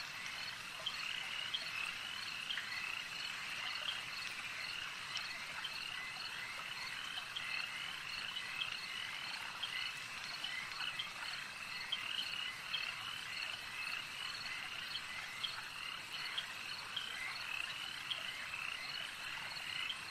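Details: Lakeside frog chorus: countless overlapping high-pitched croaking notes merge into an unbroken, even hum, with faint individual clicks and chirps surfacing briefly above the mass of callers.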